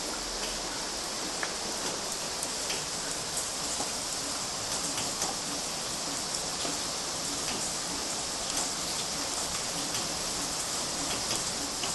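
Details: Steady rain in Galati, Romania, in June 2012, a dense hiss of drops pattering on surfaces throughout, with no animal voice.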